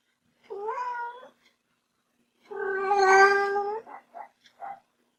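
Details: Young house cat meowing: a short wavering meow, a pause, then a longer, louder, strained meow followed by three quick soft chirping sounds, indoors with little background noise.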